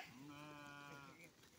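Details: Goat kept for rearing on a small Indian farm, giving one steady, drawn-out bleat of about a second and a half with a rich harmonic tone that fades at the end; low background noise and nearby people talking about feeding and water.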